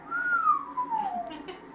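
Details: A Weddell seal in the Antarctic, napping and vocalising as if talking in its sleep, gives a pure, whistled down-sweep that slides steadily downward in pitch over about a second, likened to Space Invaders or a robot.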